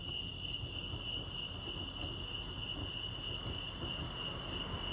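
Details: Crickets at Lake Arrowhead, California, sustain a thin, high, even chirping tone, partly under a heavier low rumbling background that sounds like distant traffic or machinery.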